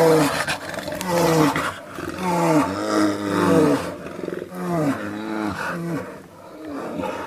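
A brown bear gives deep, drawn-out roaring calls that rise and fall in repeated bursts.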